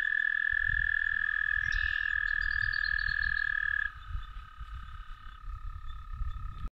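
American toad giving a long, steady, musical trill, followed by a second, lower-pitched trill.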